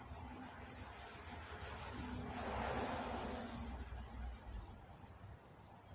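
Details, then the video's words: Crickets at night in Walnut, California, a steady high chirping band pulsing about three times a second without pause, with a faint second pulsing tone above it and a soft low rumble swelling briefly in the middle. "Nature Sounds Night Time Crickets in Walnut, California"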